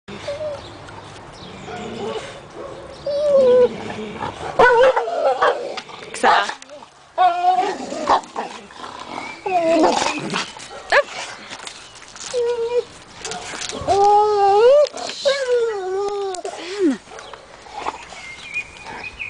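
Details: Female American Staffordshire Terrier in a back garden, crying while another dog hangs off a tree, which drives her crazy. Mixed noise and voices come first, then a run of rising and falling whines near the end.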